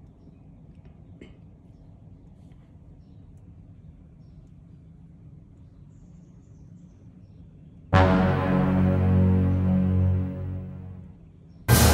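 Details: Faint low background hum for about eight seconds, then a sudden loud burst of music that fades and cuts off, with no animal calls.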